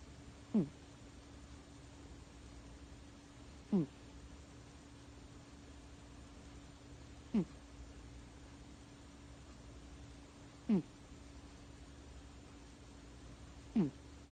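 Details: Domestic cat snoring indoors in a quiet room: short, low, nasal snorts with a slightly falling pitch, each lasting a fraction of a second and recurring about every three seconds, five in all, over a steady faint hum.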